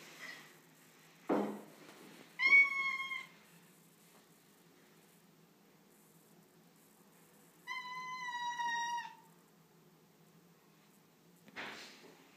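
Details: Female tortoiseshell cat, unhappy about moving into a new house that day, gives two separate flat, sustained meows several seconds apart, with small thumps and a quiet room between.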